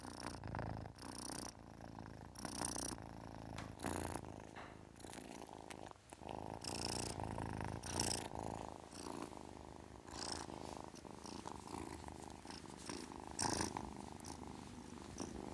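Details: Kitten purring steadily in a low, continuous rumble, with scattered broadband bursts of breathy hissing or rustling noise breaking through at intervals.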